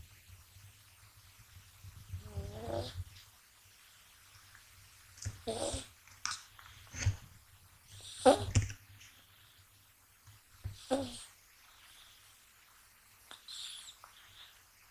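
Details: Gash, a male American Shorthair kitten born 6 January 2020, sleeps deeply and snores, not waking while being touched; soft breathy snore bursts recur roughly every two to three seconds, some with a faint tonal edge, in a quiet room.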